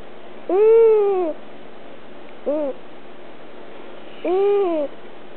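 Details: Held domestic cat making whining sounds, a little annoyed but not resisting: an arched, falling whine, a brief squeaky chirp, then another arched cry, each with rich harmonics over near silence.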